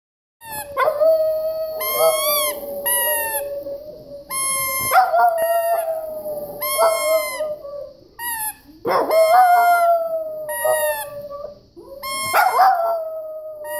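Several Boston Terriers howl together in sustained, quavering notes that hold steady then break into short yelps. Each howl starts abruptly, drifts slightly in pitch, and fades before the next chorus begins.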